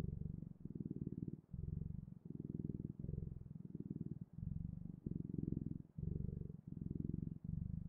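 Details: Domestic cat purring, a steady low rumble pulsing in rhythmic bursts of roughly half a second to a second, each separated by a brief pause for breath, with no other clear sounds.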